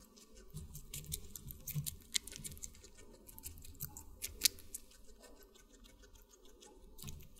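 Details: Guinea pig chewing watermelon up close indoors: steady soft crunching and sharp clicking bites, with a few louder snaps standing out against a low rustle.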